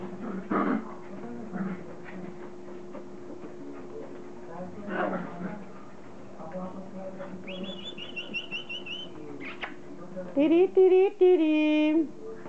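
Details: Border Collie puppies, offspring of Kim and Indi, playing indoors; rising and falling high whines and yelps in quick bursts near the end, with scattered softer squeaks, a steady background hum and human speech earlier on.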